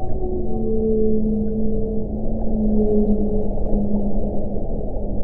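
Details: Whale calling underwater: long, steady low moans with a higher tonal line laid over them, held for several seconds against a heavy, constant underwater rumble.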